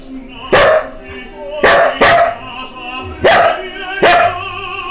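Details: A Samoyed barks along to Placido Domingo singing Lensky's aria "Kuda Kuda Kuda" from Eugene Onegin, recorded March 2016: five short, sharp barks, two close together near the middle, over the tenor voice and orchestra.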